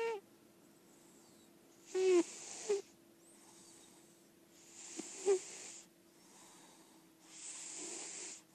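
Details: A senior female lilac point Siamese cat, an indoor-only cat, snores in slow, raspy breaths, each hissing exhale roughly every three seconds.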